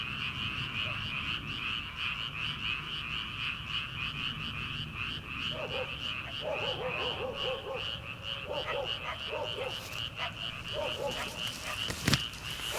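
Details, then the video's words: An early summer frog chorus from rice paddies late at night, before rice planting. Dense rattling croaks continue throughout while a farm dog barks in the distance midway, followed by a sharp click near the end. "초 여름 개구리 울음소리/ 논에서 들리는 개구리 소리"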